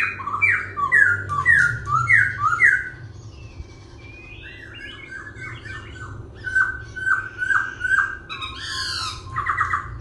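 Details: Dancing cage laughingthrush singing with continual voice changes: six loud, repeated falling whistles in quick succession, then a varied passage. Next come repeated downslurred notes and bright high chirps, over a faint low hum.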